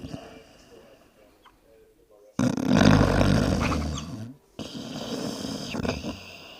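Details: Dog snoring in sleep, lips flipping: soft low breathing at first, then a loud, harsh, rattling snore lasting about two seconds, a brief pause, and a quieter snuffling follow-up.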